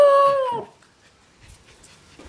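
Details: A Siberian Husky puppy answers its owner's "I love you" talk with a brief, clear howl that holds steady, then slides downward.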